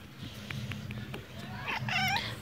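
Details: Father cat, angry when its tail is touched, giving a short rising, harmonic whining meow near the end after quiet low rumbling room noise and a few faint clicks.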